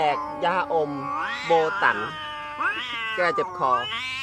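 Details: Cats fighting, trading drawn-out yowls that slide up and down in wavering pitch, several calls overlapping in quick succession, with music playing underneath.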